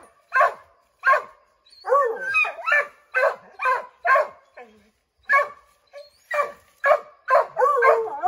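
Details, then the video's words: Several Redbone Coonhounds, Bo, Luke, Lulu, Cooter and Jesse, barking at a chipmunk treed in an oak, trying to drive it out; sharp separate barks roughly every half second, some with yelping, wavering tones between them. "Redbone Coonhounds Tree a Chipmunk"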